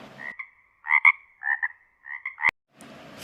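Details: Frog calling: short nasal croaks in three paired bursts over about two seconds, followed by a sharp click, with faint hiss before and after.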